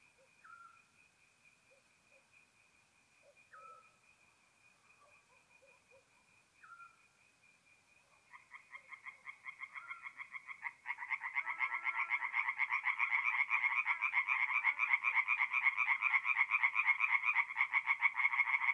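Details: Tree frogs singing at night at a forest pond in north-east Italy in mid-April: for eight seconds only sparse, faint croaks, then a dense, rapid, pulsing chorus of overlapping callers swells suddenly and stays loud.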